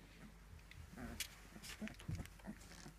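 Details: Three-week-old fox red Labrador Retriever puppies at play give a quick series of short, low grunting growls and squeaks over a few seconds, mixed with scuffling noises and a constant low hum.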